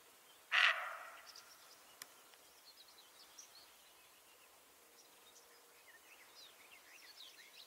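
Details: A deer without antlers gives one short, harsh, hoarse bark, followed by faint, high bird chirps.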